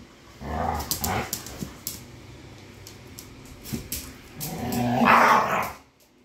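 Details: Pit bulls fighting: harsh snarling growls and short barks in bursts, the loudest near the end, with scuffling noise between.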